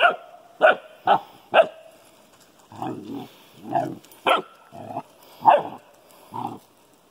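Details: Dogs, a Newfoundland puppy and an elderly golden retriever together: four crisp barks open, followed by lower, rougher, grunting woofs mixed with further sharp barks, suggesting two voices exchanging sounds.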